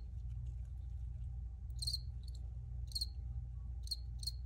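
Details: Crickets chirp in brief, clipped high bursts, a few soft ticks first, then louder chirps about once a second, over a continuous low background hum.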